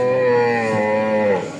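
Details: Dairy cow at Raniganj cattle market in Ghoraghat upazila, purchased by a Comilla farmer; a long, even, strongly harmonic lowing that slowly sinks and fades near the end, with faint background bustle.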